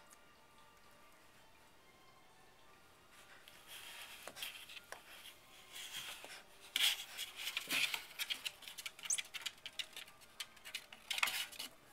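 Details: Scratching and scrabbling against cardboard in a quiet room, with no animal calls. The sharp rustles and taps grow busier after the first few seconds.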